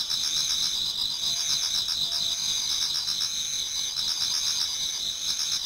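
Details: Dense autumn insect chorus in a Japanese garden before daybreak, continuous high ringing trills mixed with fast repeated chirping pulses, steady in loudness from start to finish.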